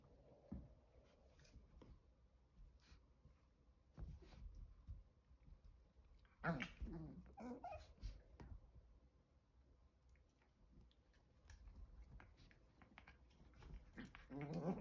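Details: Chihuahua puppies aged five months, two boys, with Chocolate's stealing plan foiled: soft whimpers and rough growly vocal bursts with wavering pitch, loudest around the middle, over scraping and shuffling movement noises.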